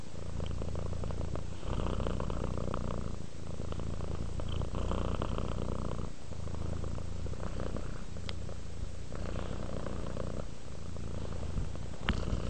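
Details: Low, buzzing purr of a contented domestic cat at rest, pulsing in breath-length phrases of about one and a half seconds, separated by short gaps, with occasional faint clicks nearby.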